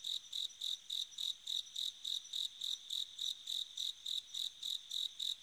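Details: A bell cricket sings on an autumn night, a clear, high, ringing chirp repeated several times a second in a steady rhythm.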